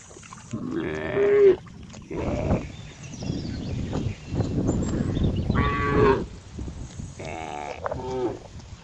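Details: Cow giving short, wavering moos at intervals amid loud rumbling and broadband noise, the calls partly masked by the heavy background.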